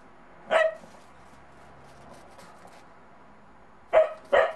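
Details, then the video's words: Puppy Monty, a Bedlington Terrier, meets a snowman during his first time in snow and sounds off with one bark, a long quiet gap, then two quick barks in a row. "MONTY THE BEDLINGTON TERRIER PUPPY UNSURE OF THE SNOWMAN"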